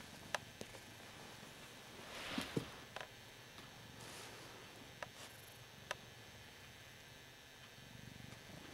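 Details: Hoss, a Ragdoll cat, purring while enjoying being adored: a soft, low, continuous rumble beneath scattered sharp clicks and a brief rustle.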